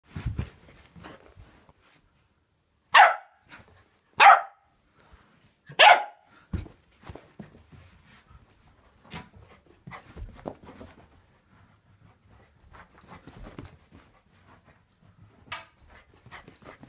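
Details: : Samoyed puppy, 11 weeks old, indoors, giving three sharp, bright barks about a second apart, followed by quieter scattered rustles and soft clicks in a small room.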